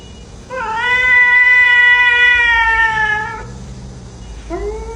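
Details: Domestic cat giving one long, drawn-out meow of about three seconds, steady and slightly falling at the end, followed by a short rising meow; faint low hum underneath.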